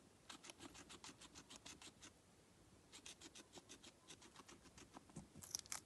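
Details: Guinea pig feeding, recorded close up indoors: fast, crisp crunching bites, about three per second in steady runs, with a short pause near the middle and a brief louder rustle at the end.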